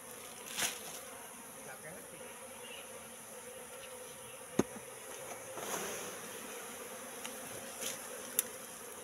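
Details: Apis cerana, a wild colony, entering a three-month-old bait box; a continuous wing hum from many bees, with occasional louder passes as single bees fly close and brief sharp knocks.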